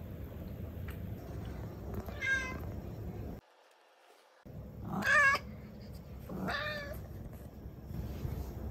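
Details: Mu, a Turkish Angora pet cat and the most talkative of the household's fluffy cats, gives three separate meows, each bright, harmonic and wavering, rising then falling, over a low steady indoor hum broken by a brief silent gap.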